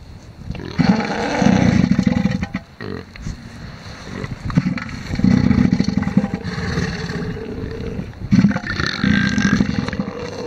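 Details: Two male elephant seals fighting over a harem of females on the beach at Sea Lion Island, Falkland Islands: three bouts of deep, pulsed, throbbing rumbles, each about a second long, separated by quieter gaps with some background noise.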